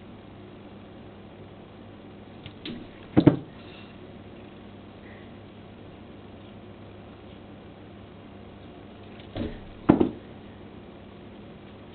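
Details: A quiet indoor room with low background hum, broken by two short bursts of thumping, knocking noise about six seconds apart.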